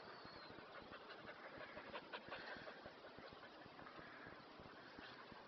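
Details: Kerry Blue Terrier panting on a very hot day while taking it easy: quick, breathy, broadband puffs repeating at a steady rhythm, close to three per second, over a constant rushing background noise.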